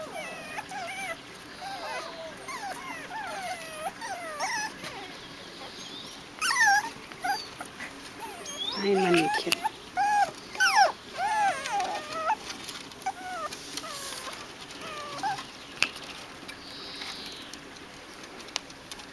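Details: Seven-week-old Biewer Yorkshire Terrier puppies in breeder training, learning balance on a pond bridge and a swing. High, wavering whimpers curve up and down in quick irregular runs, with a few louder yelps midway and soft coaxing human voices.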